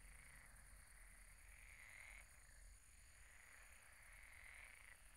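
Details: At a pond after dark, frogs croak in a thick overlapping chorus of pulsed, buzzy trills rising and falling in waves, with a thin high-pitched ringing tone and low background rumble.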